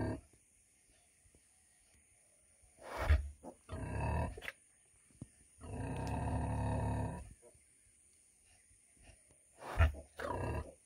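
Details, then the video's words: A 100 kg female pig grunts in short, deep, rasping bursts after a quiet start, including one longer call of about a second, with sharp thuds among the grunts. "PIG SOUND"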